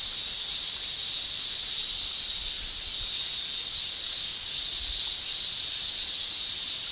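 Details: Male Japanese cicadas shrilling in summer in Japan, their tymbal song a continuous high buzzing band that swells slightly and dips briefly near the middle, steady throughout with no other clear sounds.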